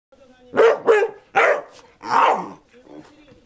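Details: Basset Hound barking indoors: four loud harsh barks packed into about two seconds, the third sharper and the fourth longer and drawn out, followed by fainter low murmuring.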